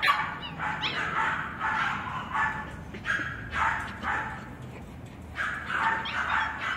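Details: Male West Highland White Terrier named Azul, recorded 21 April: a run of short, sharp barks and yips in uneven bursts, some high whining yips near the start, then clustered barks toward the end over steady low background hiss.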